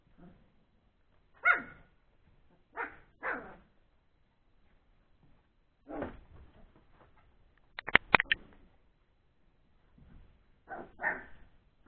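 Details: Old English Sheepdog puppies, born three weeks earlier, at play after eating: separate high yelps and small barks spaced a second or two apart, one quick cluster of sharp yips near the end.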